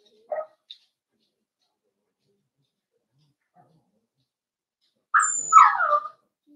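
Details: Four-week-old Cavalier King Charles Spaniel puppies in a home puppy pen, being socialized with other dogs and offered puppy mash: two brief faint yelps, a pause, then a loud wavering whine-yip sliding downward over about a second.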